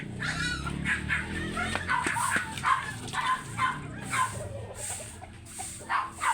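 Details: Oversize American Labrador Retriever at a kennel in Manaoag, Pangasinan, during a stud session: short harmonic yips repeated roughly every half second to second, over steady background hum and noise.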